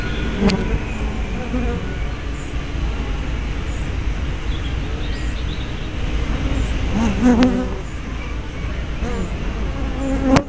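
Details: Bees around hive entrances on 24 May 2012, captured with a spy camera and fisheye lens; a low rumbling drone with occasional close buzzing fly-bys and sharp clicks at the start, middle and end.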